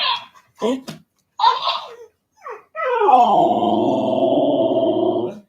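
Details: Alaskan Malamute 'talking' with a talking toy hamster while trying to work out whether it is friend or foe; short voiced bursts and toy chatter, then a long, steady, harmonic moaning vocalization lasting nearly three seconds.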